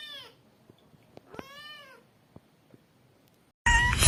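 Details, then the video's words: Kitten giving two short meows with arching, falling harmonics, the second longer and stronger, over faint room noise with a few clicks; a sudden loud burst of noise cuts in at the end. "KITTEN SOUND EFFECTS | More than 50 kittens Meow Compilation part 1"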